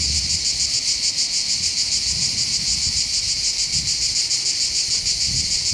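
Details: Cicada chorus heard from the heights above the port of Bandol on the Côte d'Azur, southern France, over a calm sea: an unbroken high-pitched rasping hum, rhythmically pulsing, with light low-frequency background noise.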